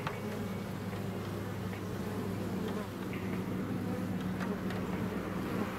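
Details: A honeybee colony in Hive 4 on June 15th gives off an even, sustained buzz, a smooth low hum with steady overtone bands and faint scattered clicks above it.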